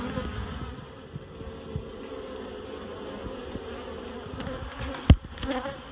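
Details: Many honeybees, relocated from a barrel to a new home at Miss Bee Haven, hum in a low continuous drone with rippling overtones; a single sharp thud near the end and a few light taps.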